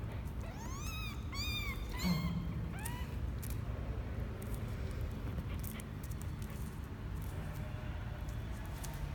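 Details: First trip out of the box for Misoka, a male kitten aged twelve days, January 12, 2020; a quick run of three or four bright, arching mews early on, then quiet rustling and low hum.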